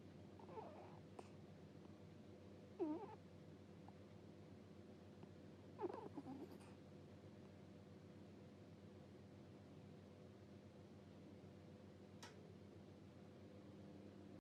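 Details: Domestic cat snoring while asleep, making soft 'puu puu' sounds: a few short, nasal, squeaky puffs spaced several seconds apart, the clearest near the start and middle, with long quiet gaps and a faint steady indoor hum.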